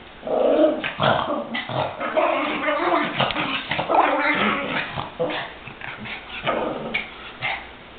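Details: Chihuahuas, among them Goofy, locked in a rough play fight; dense, ragged snarling growls and yappy snaps running almost without break, some higher whiny notes.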